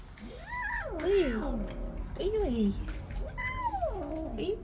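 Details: Newly arrived kitten, upset and disliking the other cats, gives drawn-out wailing meows that rise then fall, three long calls with harmonics, overlapping a woman's voice and a low room hum.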